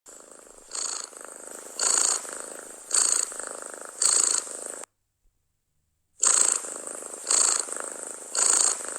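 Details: Domestic cat purring loudly and contentedly, recorded close up: a steady rumbling purr swells into breathy, hissing bursts about once a second, broken by one abrupt silent gap midway.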